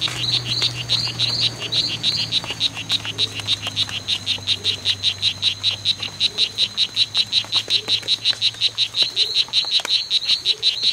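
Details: Strawberry poison-dart frog, one of two males locked in a fight at the C.R.A.R.C. reserve, 10 September 2012, late morning to afternoon; a long, fast train of high, buzzy chirps, roughly five per second, steady and unbroken.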